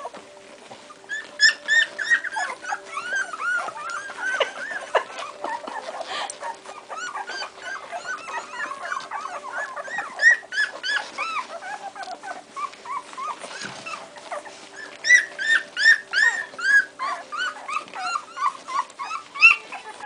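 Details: Strongbow puppies, two weeks old, in a litter: dense, overlapping high squeaky whimpers and whines, many rising-falling chirps in quick succession throughout, with a woman's voice giving commands at the start.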